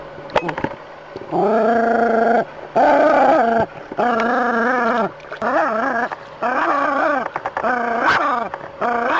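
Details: Dog confronting a snake: a series of long, strained, yowling barks, each held about a second and wavering in pitch, coming in a quick irregular run with short gaps and a few sharp clicks.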